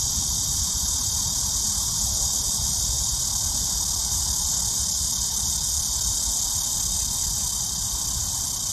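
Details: Cicadas singing in early summer heat: an unbroken, loud, high shrilling drone holding steady for the whole nine seconds, with soft low-frequency rumble underneath.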